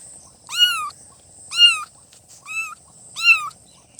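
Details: Four loud, clear meows from newborn kittens, each rising then dipping, evenly spaced under a second apart, with a light steady hiss in the background.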